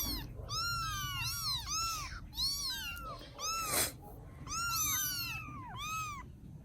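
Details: Several rescued baby kittens cared for in Vietnam mew in a tangled, overlapping chorus, with high arched cries tumbling one after another in bursts and a short pause in the middle.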